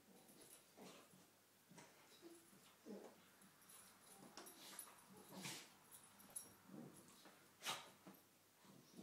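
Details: Two cocker spaniels play fighting together in the morning, giving short rough growls and snorting bursts at irregular moments, with huffing breaths and scuffling between them in a quiet room.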